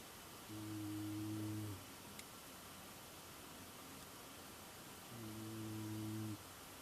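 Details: Aurora, a pet tamandua, snoring while asleep: two steady, droning, hum-like notes, each lasting over a second and separated by about three seconds of quiet, with a faint background hiss.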